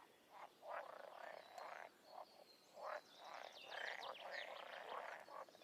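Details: Frog. Several frogs give short, raspy croaks that come in uneven bursts and overlap one another. Fainter, higher chirps and trills from other callers run along behind them.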